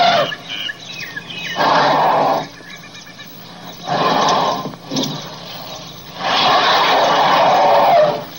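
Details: Three loud, rough, blaring elephant trumpets, each lasting about one to two seconds, with quieter pauses between them.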